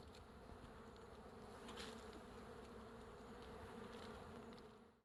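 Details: A wild beehive hanging from a forest tree branch, with bees covering the comb and making a dense, continuous low buzzing drone that holds steady for about five seconds before fading out.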